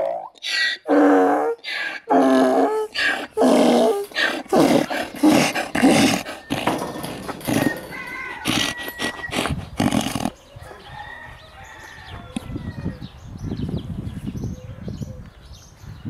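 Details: An excited donkey about to hug his favourite girl, braying loudly in a run of harsh, repeated pulses for about ten seconds, then quieter rustling and handling sounds.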